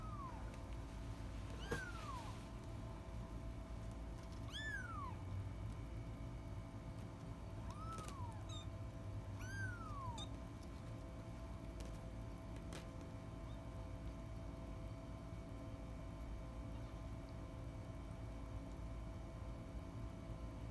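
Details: Kitten giving four thin, high meows in the first ten seconds, each a short arching whine, over a steady low hum and background noise; the rest is quiet hum with occasional clicks.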